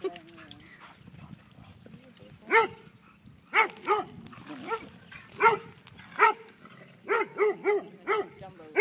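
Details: At a dog park, Kaido the dog barks to get another dog to chase him; evenly spaced sharp barks, roughly one per second, closing with a quicker run of four, background chatter faint.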